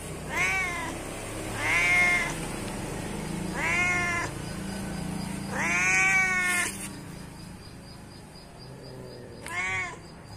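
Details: Series of five plaintive cat meows calling its companions, each arching up and down in pitch, the fourth longest, with a low rumbling hum underneath and a gap before the last.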